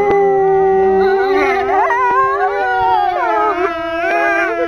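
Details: Group howl from four captive male wolves at Kolmården Zoo, Sweden, January 2007, at a petting event: a low, steady howl is joined by higher voices that rise and wobble, building into a dense overlapping chorus.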